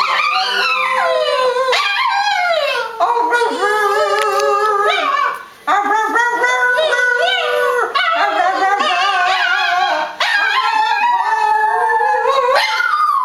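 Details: A male Boston Terrier howls in long, wavering, sliding notes, a drawn-out 'singing' with only brief pauses.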